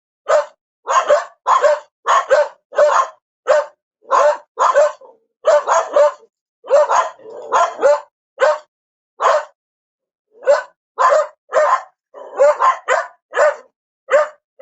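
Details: Repeated dog barks, mostly evenly spaced single yaps in rapid succession, with a brief lull around the middle before a renewed burst of closely packed barks; clean recording with no background noise.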